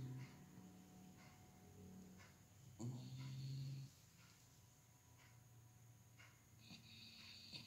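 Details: Kucrit, a pet dog, snoring: a brief low rasp near the start, then one loud, deep, steady droning snore lasting about a second, followed by quiet breathing with faint clicks and rustles.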